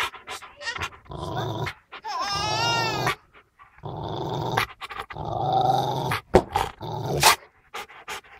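A Rottweiler gives deep, rough growls broken by sharp, harsh barks.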